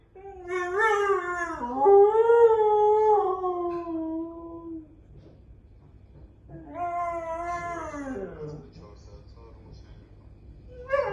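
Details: Pet dog at home howling in imitation of a car alarm sounding outside: long wavering tonal howls with rich harmonics, a sustained howl of about four seconds, a pause, then a falling second howl and a rising start at the end.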